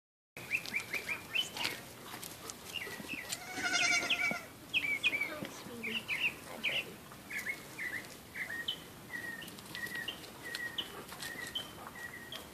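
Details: Very young Nigerian Dwarf goats kept at home, with an older male Nigerian Dwarf, give a quick string of short, high, thin bleats, many overlapping, alongside some rustling and handling noise.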